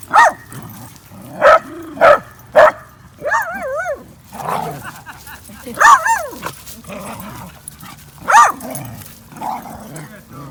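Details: Basenjis, four of them running and playing together at a dog park in 2019; loud harmonic yelps and wavering, yodel-like calls, four quick bursts in the first three seconds, then spaced calls around six, eight and nine and a half seconds.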